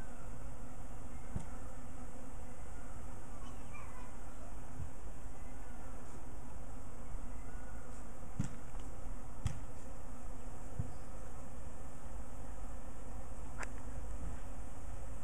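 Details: A steady, low droning hum of many Carniolan honey bees flying around a backyard hive in its second season, one year after installation and near a sugar syrup feeder, with a few sharp clicks.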